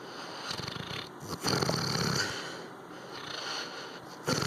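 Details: Labrador Retriever dog asleep, giving rough, wheezy snores in uneven bursts, each a noisy inhale or exhale lasting about half a second to a second, in a quiet room.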